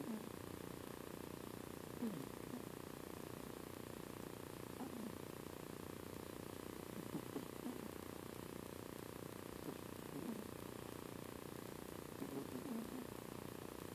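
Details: Quiet snoring from Spock, a little female house cat asleep and seemingly dreaming; gentle low rasping breaths repeat at a slow, fairly even pace over a faint steady hiss.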